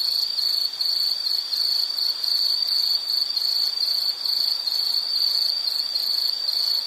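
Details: Continuous high-pitched insect trilling, a dense rapid pulse holding one shrill pitch throughout, with soft background hiss and no other voices.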